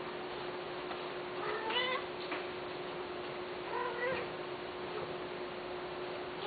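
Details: Pet cat listed for sale gives two short, bright meows roughly two seconds apart, each with a quick upward bend, against a constant faint electrical hum.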